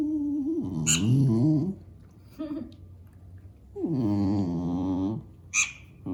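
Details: A pet dog complains about the squeaking of a mouse game for cats on a tablet, which he does not try to catch. Two drawn-out, wavering, whiny grumbles, with short high electronic squeaks from the game in between.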